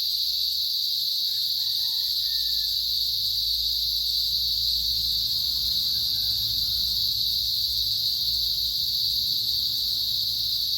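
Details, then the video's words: Chirping cicadas make a dense, even, high whine that never pauses, topped by a weaker higher band; short faint harmonic calls surface early and near six seconds, plus low background rumble. "75 seconds of cicadas chirping"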